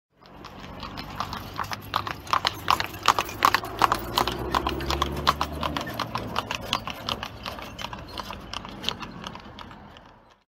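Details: A horse pulling a carriage on city streets clip-clops on hard pavement in a brisk, steady walking rhythm, with a low rumble of wheels.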